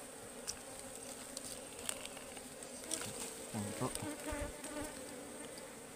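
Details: Agitated honeybees buzz around a wild ligwan hive being cut open in the forest, said to be fiercely defensive over a honey-laden comb. The dense, even hum is broken by frequent taps and rustling from the harvest.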